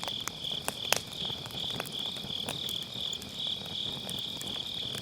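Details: Autumn-night grass insects keep up a continuous, high, slightly pulsing trill by a crackling wood fire in a round fire pit, captured with an MKE600 mic using low-cut; a few louder snaps of firewood break in early.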